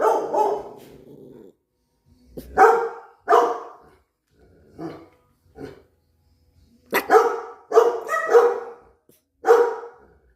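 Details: Dogs on high alert on a short countryside getaway, barking sharply in bursts: a drawn-out bark, then single loud barks spaced a second or two apart, and a quick cluster of four barks near the end, with quiet gaps between.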